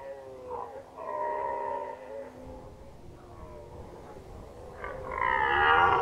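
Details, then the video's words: Red deer roaring in the 2019 rut in Unteres Odertal National Park: several overlapping, moaning harmonic bellows of differing pitch, ending in a louder, harsher roar. "Hirschbrunft 2019 (red deer rut 2019)"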